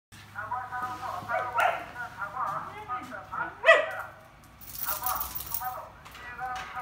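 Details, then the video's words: Samoyed named Haroo howling together with Milgam, Tomato and Apple, seeming irritated; long, wavering tonal howls layered over each other, swelling to a louder peak midway, then fading and rising again, with a person's voice nearby. "하루의 밀감&토마토&사과 콜라보 하울링, 근데 승질난거 같다 ㅋㅋ"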